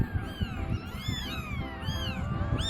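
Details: Newly eyes-open kittens, four in the litter with the mother out, crying in overlapping thin arched mews one after another, steady low household rumble underneath.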